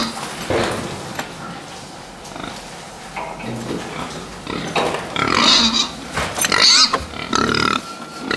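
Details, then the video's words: Fattening pigs housed together, irregular grunting early on, then louder overlapping squeals and shrill cries in the second half, roughly one burst per second. "prasata výkrm"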